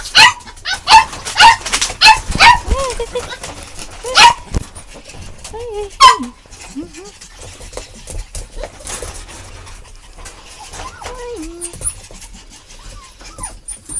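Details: Puppies yapping in a quick series of sharp, high yips about every half second during the first four seconds, then scattered softer squeaks, with wavering voice-like sounds mixed in.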